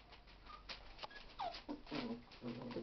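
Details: Mindy's puppies from her 2011 litter, indoors, chewing on a bone, give soft tonal whimpers and grunts, including one falling whine, scattered over a few seconds while a person talks to them nearby.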